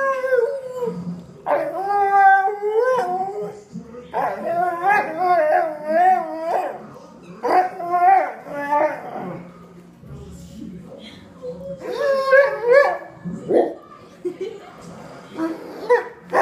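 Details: Buddy, a pet dog, howls and yowls while watching TV as if trying to talk: a series of wavering, warbling howls in bursts of one to two seconds, pitch rising and falling, with short pauses and faint TV sound between.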